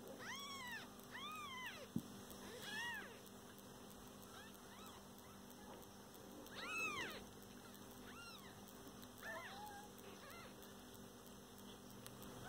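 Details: Kittens alongside their mother cat at home produce scattered short mews in small clusters, some thin and high, with a single sharp knock and a steady faint hum in the background.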